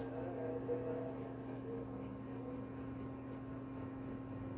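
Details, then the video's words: Cricket chirping, offered as a sleep aid and mouse repellent; high, clear pulsed chirps at a steady rhythm of about four per second, with a faint low hum and soft tonal murmurs underneath. "Suara jangkrik pengantar tidur dan juga mengusir tikus."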